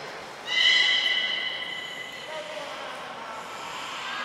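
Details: Beluga at Port of Nagoya Public Aquarium, 18 February 2024, after feeding; one bright steady harmonic whistle lasting about a second, then quieter faint tones over room noise.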